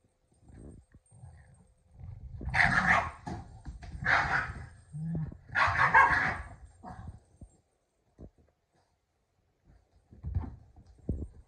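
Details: Keeshond named Kumo in a silly game over a red ball with Sully, a Boston Terrier: three loud barks in quick succession over four seconds, then faint thuds and scuffles. A growly edge colours the calls.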